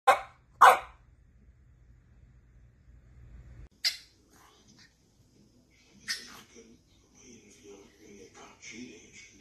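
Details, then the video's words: French bulldog puppies: two sharp, loud barks in quick succession open the recording, followed after a low hum by a few fainter, scattered yips and small rustling sounds. "Funny and cute french bulldog puppies"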